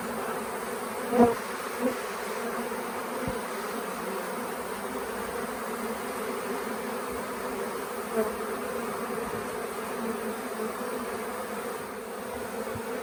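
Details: A late-season swarm of honey bees that had stayed on the Tamarind Tree Hotel grounds for days, with beekeepers trying to settle it in a nuc box. The buzzing holds as an even, unbroken drone, with a couple of sharp taps near the start.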